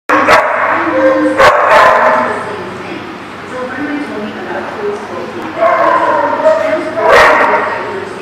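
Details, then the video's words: Dog barks ring out over a steady crowded din of voices and chatter; a few sharp, loud barks come near the start and another near the end, with quieter noisy activity in between. "The Barking Lot"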